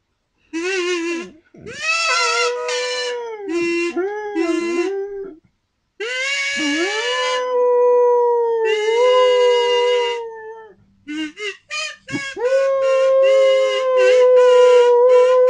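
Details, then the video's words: Pet dog howling along as a person plays a kazoo: sustained wavering tones near the kazoo's pitch, gliding up and down in long phrases with short breaks, the buzzy kazoo notes overlapping the howls. "My singing dog"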